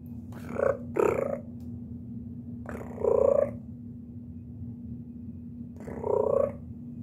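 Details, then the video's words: Kittens calling with loud, strained chirps, two quick ones at the start, another after two seconds and a final one near the end, above a low steady hum. "Kittens Chirping"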